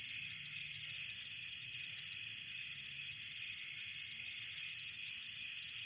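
A dense, unbroken chorus of crickets and grasshoppers, high-pitched and shimmering with steady trills.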